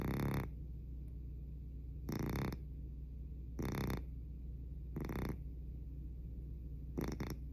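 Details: Pet cat's loud snoring, with rough noisy breath bursts repeating about every one and a half to two seconds, five snores in a row against a faint constant low room hum.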